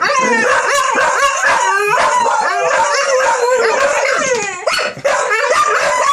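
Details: A young female dog named Monthy howling like a wolf, a monthly habit. Her wobbling howl rises and dips in repeated bends, then sweeps upward near the end, over crackling background noise.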